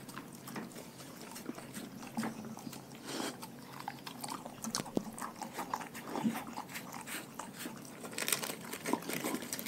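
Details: Pack of dogs on a raw diet munching their food, dense rapid crunching and cracking bites in quick succession, growing busier toward the end.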